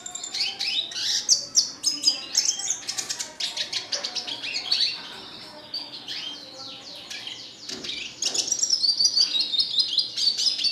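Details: Red siskin kept as a cage bird, delivering a long, busy song of fast high twitters, trills and rising slurred notes that fade briefly midway before a dense chattering burst resumes.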